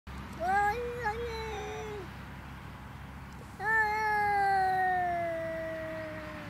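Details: Pet cat said to sing, filmed in June; two long drawn-out meows, the first wavering and the second gliding slowly downward for about three seconds, in a quiet room.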